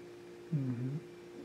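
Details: A pet Siamese cat named Rommel, filmed July 2017, utters a brief, low, droning mew of about half a second, rising slightly then falling, over a constant background hum indoors.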